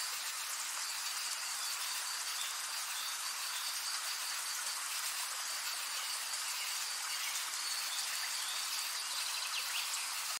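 A katydid's dense, hissing, high-pitched buzz runs on without a break.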